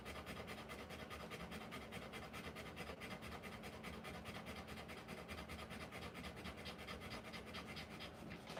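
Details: Rapid, even panting from a Rottweiler in labour, giving birth to puppies; quick breathy strokes repeat about twice per second without pause across the whole stretch, with a faint steady hum beneath.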